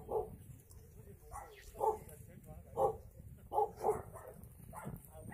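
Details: At the Yangsan abandoned-animal shelter in South Korea, dogs give sharp, separate barks, some in quick pairs, about once a second across the stretch. Quiet talking is heard in the background.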